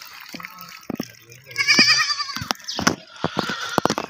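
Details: Baby goats bleating: a loud, wavering, nasal bleat in the middle, with shorter bleats and clicks around it and faint background voices.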